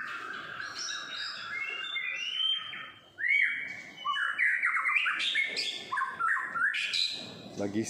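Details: Kept long-tailed white-rumped shama singing outdoors by an apartment in Singapore in the morning: a continuous, varied stream of fluty whistles, rising slurs and chattering notes, with one sharp upward-sweeping phrase midway and steady energy throughout.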